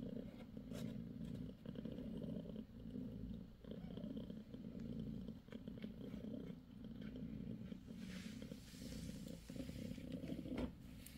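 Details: Steady low purring from mother cat Bassy nursing her five six-day-old kittens, with brief rustling bursts near the end.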